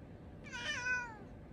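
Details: Kitten giving one clear, tonal meow of under a second that swells and then slides gently downward, set against a quiet, faintly hissing background.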